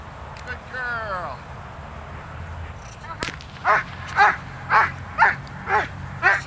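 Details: A Doberman Pinscher named Zita works in protection training, November 24th, 2009. A German command ("jetzt komme ich, los") and a sharp crack come first, then six loud, deep barks spaced about half a second apart.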